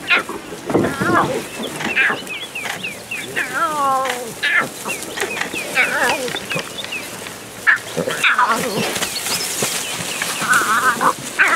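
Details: Lion cubs greeting their mother as she returns from hunting, on safari at Pondoro Game Lodge, South Africa; wavering, harmonic mews and short grunting calls come in irregular bursts, mixed with human voices and scattered bird chirps.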